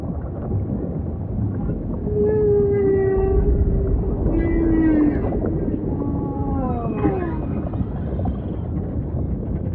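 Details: Singing humpback whale with a drawn-out, steady tonal moan, a second lower moan, then a run of falling, harmonic-rich cries and a rising squeal, set against a dense, hissing low-frequency ocean background.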